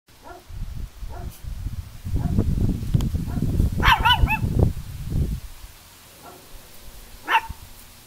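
A Chihuahua gives high, sharp yappy barks over a low rumbling background.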